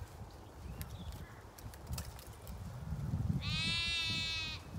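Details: Bleating Zwartbles sheep among ewes and lambs in a flock on a farm in County Kilkenny, Ireland; soft clicks and shuffling, then one long wavering, tremulous bleat rich in harmonics lasting over a second, with low rumbling background.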